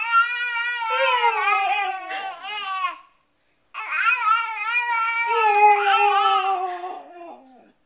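A Siberian Husky gives long, wavering, howl-like vocalizations that rise and fall like a baby's babble.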